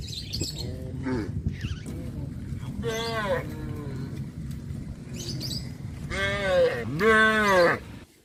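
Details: Cows on a traditional village farm walk back along the village road to their barn, giving drawn-out, rich moos near three seconds and again near six to eight seconds, rising then falling, over a low rumble with faint chirps early on.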